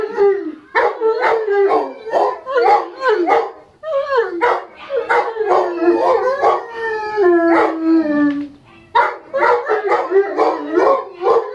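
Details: English Mastiffs howling together in response to a siren, a chorus of short choppy yelping howls repeated roughly every half second, broken by one longer sliding howl that falls in pitch midway.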